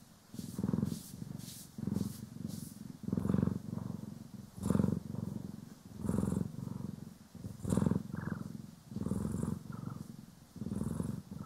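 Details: Purring house cat (Poki or Kiwi) being brushed and groomed, stereo recording: continuous pulsing low rumble rising and falling with each breath, interrupted by quick repeated scratchy brush strokes.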